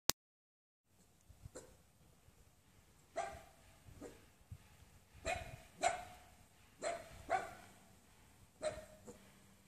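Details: A six-month-old wirehaired miniature dachshund gives a series of sharp, high barks at irregular intervals.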